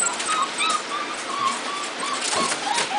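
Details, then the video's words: Puppies of a litter just brought in from thunder and lightning outside, whining and crying in thin drawn-out squeals, several pups at once, over a constant background hiss. "Trixie puppies"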